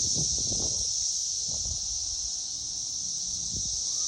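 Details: Droning cicada song recorded in 2021: an unbroken shrill whine at one high pitch, with soft low thuds and rumble underneath.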